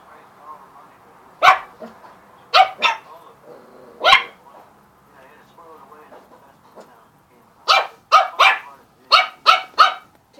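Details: Puppies playing with a balloon and a squeak toy give sharp, high yapping barks, a few spaced singles then a quick burst of six near the end, with soft squeaky and rustling sounds between.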